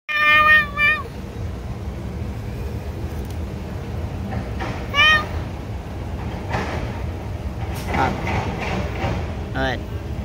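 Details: Street cats being fed, meowing: a loud, falling meow opens, with another near the middle and fainter ones later, over people talking in English and Vietnamese and steady traffic rumble.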